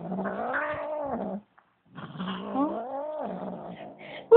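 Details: Indoors, a female Bengal cat upset by a newly arrived cat lets out two long moaning yowls that swell, bend upward and sag again, separated by a short silence; no other sounds intrude.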